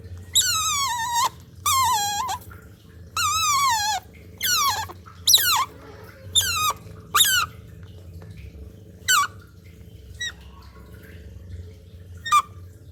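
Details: Loud, high squeals from a baby otter drinking cat's milk: a run of sharply falling, harmonic cries, each under a second long, that come closely at first and then thin out to brief, fainter chirps over a low hum.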